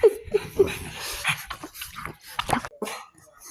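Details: Pug giving three short, high yips in quick succession over the first half second, followed by breathy snuffling and huffing sounds that fade toward the end.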